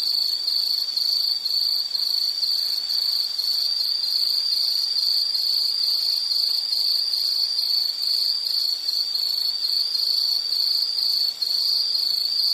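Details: High, shrill insect chirps repeated roughly twice a second, each a short metallic burst on the same pitch, slightly irregular spacing, steady loudness, with only faint background noise.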